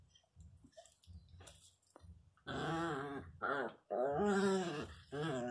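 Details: An angry Miniature Pinscher puppy gives soft low growls, then cries very loudly in wavering, whiny wails.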